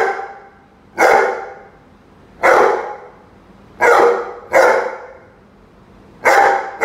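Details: Rhodesian Ridgeback Roady facing off with a chicken, barking steadily: five loud rough barks, roughly one every second or so, each fading quickly, with a faint hum between.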